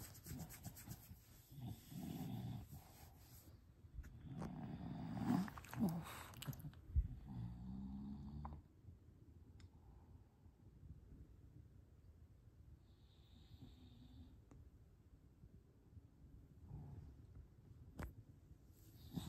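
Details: An English bulldog snuffles and snorts in quick, rasping breaths for about eight seconds, with a short throaty groan among them, before the sound drops to quiet breathing and occasional faint clicks.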